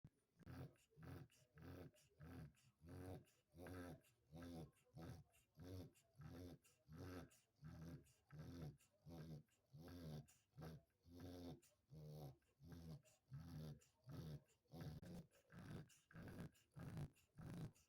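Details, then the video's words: Sleeping pet dog snoring steadily: low, rumbling, throaty pulses repeating roughly every two-thirds of a second, each breath a short growly rasp, continuing evenly throughout in a quiet room. "my Dog Snoring"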